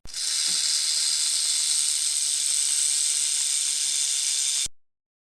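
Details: Snake letting out one long, steady, sharp hiss lasting nearly five seconds at even loudness before cutting off abruptly.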